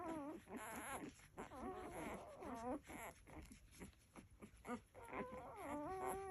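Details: Labrador Retriever puppies nursing, giving high, wavering whimpers and squeals that rise and fall in short bursts, with soft snuffling and suckling between calls.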